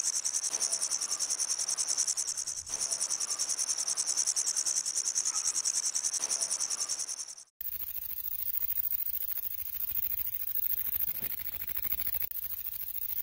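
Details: Grasshopper stridulating in a continuous high, hissing buzz with regular pulses and a brief dip near the three-second mark. After about seven seconds it cuts abruptly to a softer, noisy hiss.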